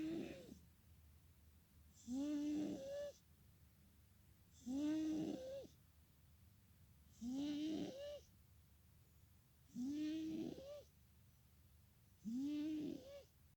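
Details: A pet cat asleep and snoring loudly, its steady rhythm repeating about every two and a half seconds; each raspy breath carries a whistling, slightly rising tone, six snores separated by near silence in a small room.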